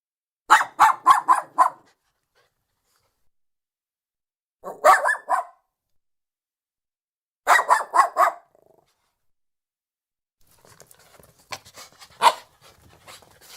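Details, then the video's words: Lhasa Apso giving quick volleys of sharp, rapid barks separated by pauses. The final burst is rougher and noisier, mixing looser barks with scratchy sounds. "Ladrido y gruñidos de un Lhasa Apso"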